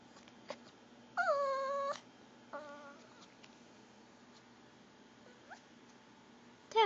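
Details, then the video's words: Pomeranian begging for goldfish crackers, giving a gurgling whine: a long steady harmonic cry near one second, then a shorter softer whine and a brief rising squeak, with a sharp yelp at the end in a quiet room. "pomeranian making gurgling whine noises"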